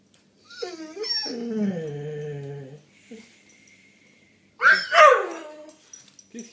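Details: A Doberman named Tina, facing a pigeon, gives a long, wavering whine-like vocalization, then a couple of sharp, harsh barks.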